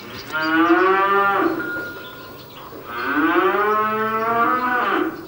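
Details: In a cowshed on a remote Allgäu farm in late April, Brown Swiss cattle give two long, deep lowing moos, each about two seconds, the second rising then falling, with faint barn noise behind.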